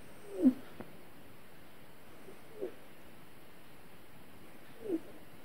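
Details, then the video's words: Domestic cat having a bad dream, letting out three brief, soft, low whimpering mews at about half-second, 2.6 and 4.9 seconds, each a short squeaky chirp over a quiet room. "Cat Has a Bad Dream"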